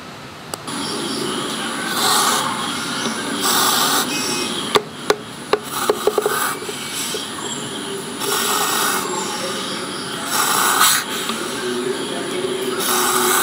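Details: Juvenile spectacled cobra about a foot long, held in an aquarium at Gampaha, Sri Lanka, hissing while confronting danger: loud breathy rasping bursts, each lasting one to two seconds, repeated several times, with a few sharp taps midway.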